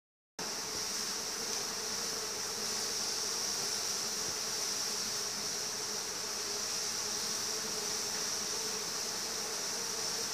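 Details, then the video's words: Bees swarming a house: a dense, steady droning hum from many insects, unbroken and even in loudness throughout, with a high hissing layer above it. "When bees swarm the house"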